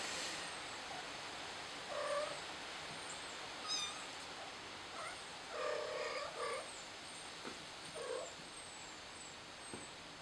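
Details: Scared kitten crying for its mother, giving about five short, thin meows spread over ten seconds, some in quick pairs, against steady background hiss and repeated high, thin chirps.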